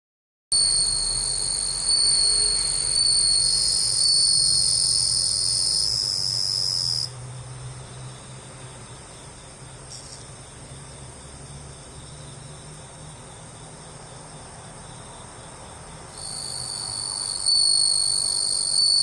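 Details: Captive-reared bell crickets in Japan on 25 August 2011, in autumn, sing a clear, high, ringing trill that breaks off for several seconds, then resumes.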